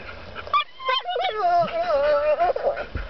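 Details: Whines from Sophie, a female dog shut in a truck and wanting out, come as short yips and then a long wavering nasal whine that bends up and down before fading.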